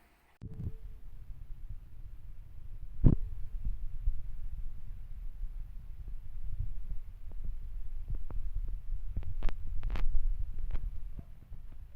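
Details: Low rumbling handling noise with faint thumps and a few sharp clicks; no animal voice is heard.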